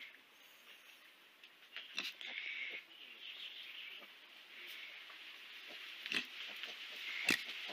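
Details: Mini piglets, also called micro or teacup pigs, in a compilation of baby pigs: faint, breathy, hissing squeals and grunts in short bursts, a longer one near the start, then a few sharp clicks, over steady low background hiss.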